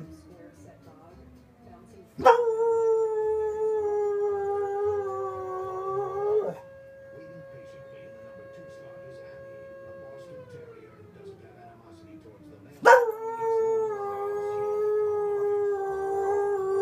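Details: Soft Coated Wheaten Terrier howls along with a fire whistle. Two sustained, gently wavering howls of about four seconds each open with sharp onsets, separated by a steady, level siren tone that slowly fades.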